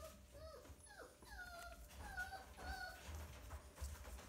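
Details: Six Siberian Husky littermates born 30 January 2020 at a breeder in Hamamatsu, Shizuoka, whine and squeal in thin, rising and falling cries while jostling to nurse.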